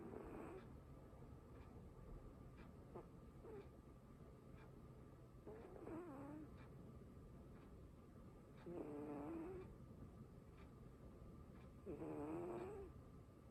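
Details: Cat snores in its sleep indoors, giving soft breathy rasps that grow into three wavering, nasal droning tones about three seconds apart, each around a second long, over a low constant hum.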